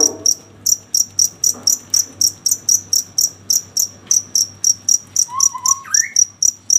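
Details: Cricket chirping at night in clear, evenly spaced high-pitched pulses about four per second, with a brief rising whistled note near the end.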